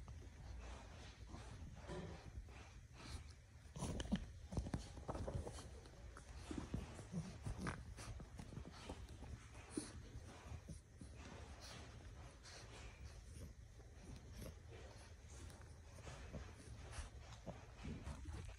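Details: A French Bulldog puppy gives short, throaty grunts and snorts in irregular bursts while gripping onto a jacket.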